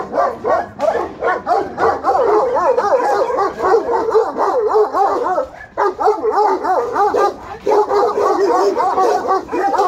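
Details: Romanian guard dogs, Alabai and Tibetan Mastiff, in Pogoanele, Buzău: quick wavering, whine-like yelps mixed with barks, about four per second, with two brief lulls breaking the stream.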